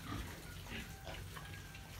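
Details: Sow-reared piglets, sold at 38 days, grunting and snorting in short rough bursts, with a steady low droning noise throughout.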